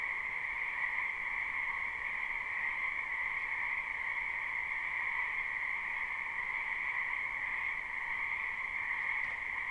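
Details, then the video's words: Live springtime recording of numerous frogs in a wetland behind a home: overlapping calls blend into a seamless high buzzing chorus and a fainter lower tone, with a faint brief click near the end. "Ambient Noise for Sleep Frogs"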